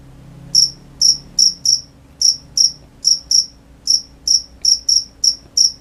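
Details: Cricket song at night: after half a second of quiet, loud, high chirps arrive in loose clusters, about two per second with small gaps, above a faint low hum.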